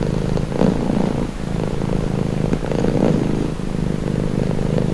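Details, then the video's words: Steady low purring of a domestic cat, presented as calming; a rough droning rumble with breath-timed swells about every two and a half seconds. "Purring cat | Calming Relaxing Nature Sound"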